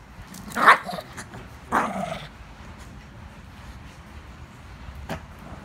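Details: A pet Shih Tzu playing with a chewing bone toy lets out two short, rough growling barks about a second apart, then the room falls quiet apart from a faint click.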